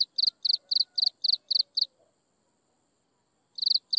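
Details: At sunset an insect chirps in quick high pulses, about four a second, then falls silent for over a second and a half before the pulsing resumes; a faint low whistle sounds beneath the early chirps.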